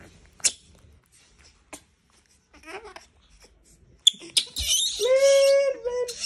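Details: A disturbed monkey bursts into a drawn-out, harmonic, squealing scream after a few seconds of quiet clicks and rustling, the cry holding a steady pitch before breaking off.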